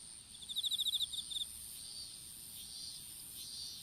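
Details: Insects calling in an open-field strawberry patch during seedling planting, captured on a dropped smartphone: one high, rapid train of about a dozen pulses lasting about a second, then only faint, hissy high buzzing.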